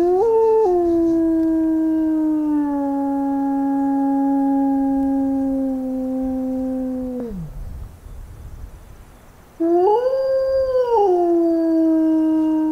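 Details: Recorded howl of a single adult wolf, broadcast from a station during a summer wolf-howling survey meant to confirm pack breeding. A long, smooth, harmonic howl rises briefly, then glides slowly down and drops off; after a short pause a second howl swells and bends.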